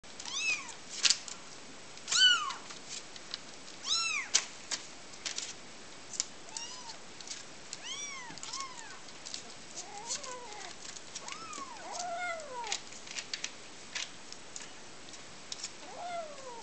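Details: Kitten meowing repeatedly, a series of high arching meows, some short and some drawn out and falling, roughly every half second to two seconds, with soft clicks and rustles between calls.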